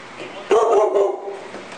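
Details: During the stairs standoff in which Kira holds Collin at bay, a dog lets out a single abrupt, tonal yelp that fades within about a second. A low room hum sits beneath it.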